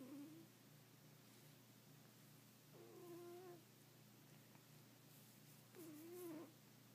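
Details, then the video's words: Snoring rescue cat: breaths come roughly three seconds apart, each with a brief reedy whistle that dips and rises, separated by quiet stretches with a constant low hum. "Snoring cat"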